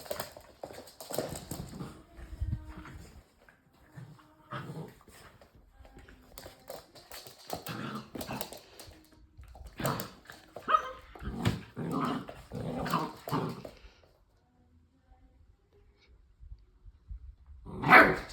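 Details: Two Labrador Retriever puppies, littermate brothers, indoors in a small room; soft whimpers and small yelps scattered among rustling and handling noises, with a sharper cry near the end.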